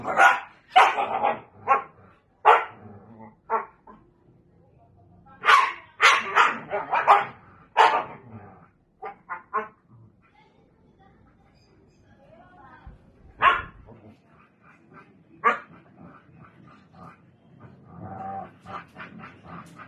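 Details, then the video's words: Siberian Husky teasing a Belgian Malinois: irregular bursts of yappy barks and yips, clustered in bouts with pauses between, mixed with shorter whiny calls; a second dog may be answering. "Husky dog teasing belgian malinois"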